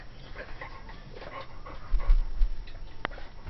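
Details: Ivory, a 12-week-old cream and white female Pomeranian puppy born 4/3/2012, indoors after silently playing with miniature tennis balls, reacting to a Dora the Explorer doll in a closet: a quick run of soft, high yips, then a sharp thump.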